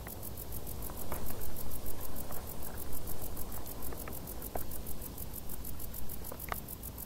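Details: Summer crickets in tall grass give a continuous, high-pitched pulsed chirp, quick and evenly spaced, above a soft low rumble with a few faint clicks.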